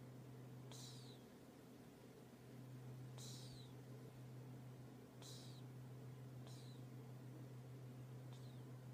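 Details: Cat asleep and snoring, each breath giving a brief hissy whistle that drops in pitch, five in a row at uneven intervals of one to two and a half seconds, with a steady low hum underneath.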